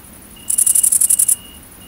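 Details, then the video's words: Great green bush-cricket, Tettigonia viridissima, at night during mating in the countryside of central France, 22 August 2016: a loud, high, hissing buzz of about a dozen rapid pulses lasting under a second, over a steady high whine and a soft, repeated tonal chirp. "GRANDE Sauterelle Verte/Accouplement ! BRUITX"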